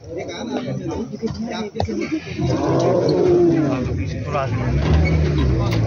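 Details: Riddhi, tigress T-124, roaring in Zone 3 of Ranthambhore on a winter morning in December 2023, calling her cubs after hunting a chital deer; deep, drawn-out low moaning roar swelling midway and holding steady, with people talking quietly throughout.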